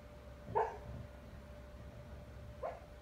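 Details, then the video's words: Husky named Bandit, a foster dog, dreaming while asleep indoors; two short muffled whimpering yips, the first doubled around half a second in, a softer one near the end, over a steady electrical hum. "Husky talking in his sleep"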